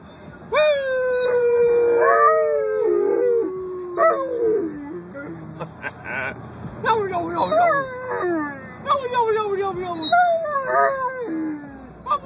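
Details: A dog opens with one long, steadily falling howl, followed by a series of shorter, broken yelping howls that rise and fall, with some voices mixed in.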